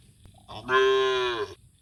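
A cow gives a single full, steady moo, rich in harmonics and lasting nearly a second.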